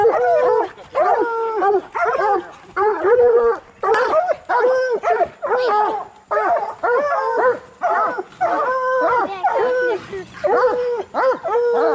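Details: Coonhounds, bluetick and black and tan, in training to hunt raccoons, baying in a steady run of harmonic-rich howls, each short note arching then falling, repeated about every half second across the stretch with brief gaps between bursts.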